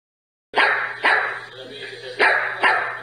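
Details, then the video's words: Dog barking in four loud, sharp bursts spaced irregularly, each bark broadband with strong upper energy, over a steady low hum. "Som do Cachorro Cachorro latindo"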